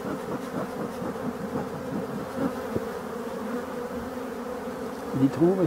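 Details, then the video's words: European dark bees at an abandoned hive under restoration: a steady low hum of many bees holds throughout, broken by light tapping clicks, with a brief rising voice-like sweep near the end. "abeilles noire"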